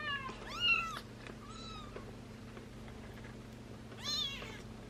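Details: A tiny ginger male kitten, about 18 days old and frightened of human hands, calls for his mother with thin, high-pitched meows that arch up and fall away, with a faint steady hum behind.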